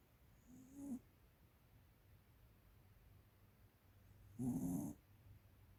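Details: Pet American Cocker Spaniel, a 13-year-old female, snoring: a faint short rasp, then after a long quiet gap a louder, buzzy, rumbling snore with a hissy edge.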